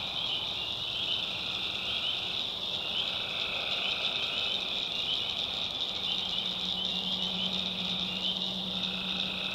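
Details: Tree frogs in a North Carolina swamp after dark: a high ringing chorus with no pauses, a softer buzzy trill in the middle range, and a low droning tone entering halfway through.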